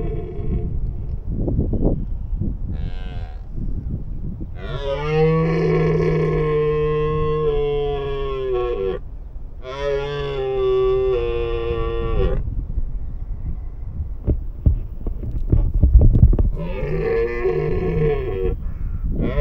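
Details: Red deer; rutting roar; rutting call during the mating season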